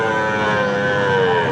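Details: Gir and Sahiwal bull calves for sale at Ambari Haat livestock market, held Fridays and Mondays: a single drawn-out, slightly falling tonal moo over steady market hubbub.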